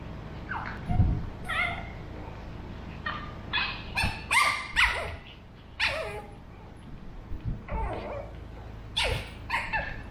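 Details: Burrito, a 13-week-old male Pug puppy, trades sounds with Vanta, a two-year-old female mixed Shih Tzu: a lively run of short, high yips and sharp barks, bunched in quick bursts with brief pauses between exchanges.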